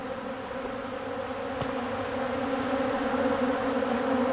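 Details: A crowd of honeybees feeds on old comb, their wings making a continuous low, droning buzz with a clear overtone, slowly growing louder, with faint ticks early on.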